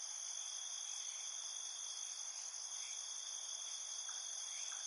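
Field crickets trill steadily in a high, unbroken night chorus.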